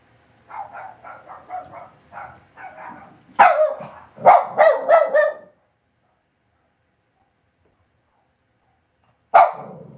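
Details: Cavalier King Charles Spaniel puppies kept in a home puppy pen bark in a rapid run of small yaps that swell into louder, sharper barks, then fall silent for several seconds before one last bark.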